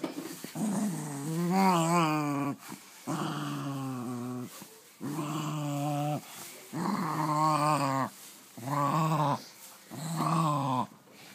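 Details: Dog playing with a beloved new toy, sounding like a gremlin: six long, wavering, moaning growls, each one to two seconds, with brief silences between, in a small room.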